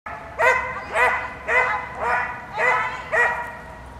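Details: Border Collie barking loudly with excitement at the start position for dog scootering training, 25 August 2010; six evenly spaced, harmonic-rich barks, roughly one every half second, over steady low background noise.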